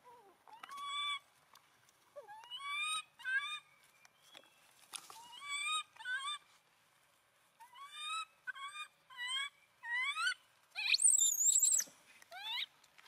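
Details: A poor abandoned monkey, clinging to its owner's feet, gives a long run of short crying wails, each rising or arched, in bursts of two or three; a shrill, high squeal near the end.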